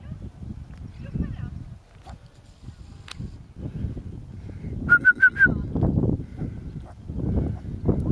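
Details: A little dog's greeting barks as it waits for Olle and its mistress after a short walk; a burst of four rapid, sharp, high yips midway, with people talking softly before and after.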